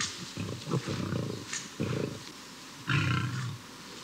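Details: Young male lion, driven from its pride at about two and a half to three years old and searching for a new one in the wild: three deep, rumbling bursts with short pauses between them.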